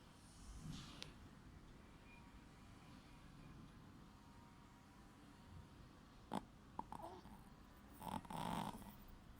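A sleeping Shih Tzu snores with soft, low, rumbling breaths and a few louder snorts.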